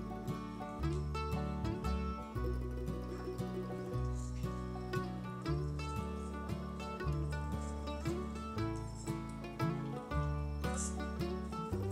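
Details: Gentle instrumental music with sustained low tones and plucked notes, quiet throughout.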